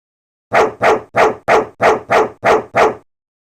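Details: Dog barking in a rapid, even series of eight sharp barks, roughly three per second, each a short broadband burst, with no other sounds around them.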